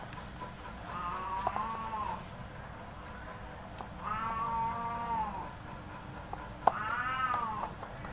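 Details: Domestic cats, big and small, playing in a front yard cage; three long arched harmonic meows, the middle one stretching about a second and a half, over steady low background hum and occasional knocks.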